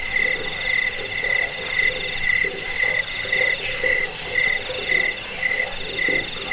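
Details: Chirping cricket, used as a sound to drive off rats, aid sleep and train birds; high rapid pulse trains repeat about twice per second, with faint lower throbbing pulses underneath.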